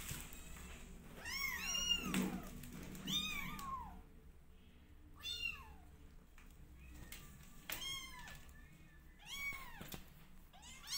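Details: Domestic kittens twenty days old in a loud cat family, crying indoors: clusters of high, downward-arching meows come in short overlapping bursts about every two seconds, with a low steady hum beneath.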